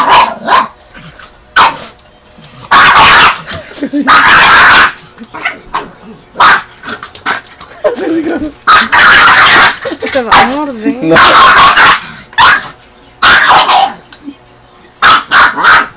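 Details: Angry pet pug growling while bothered during a meal: harsh, noisy snarling bursts and short barks come in loud clusters with gaps between them, mixed with a human voice.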